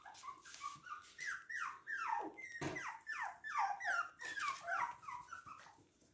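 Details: Toy and miniature poodles recorded in Hahnstätten on 19 February 2022, giving a steady run of high, whining whimpers. Each cry slides downward in pitch, and they overlap in quick succession with brief yips and faint rustling between.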